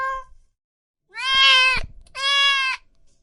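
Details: Loud, drawn-out meowing from cats and kittens: a short call followed by two long, strained, harmonic meows nearly a second each, with low thuds underneath.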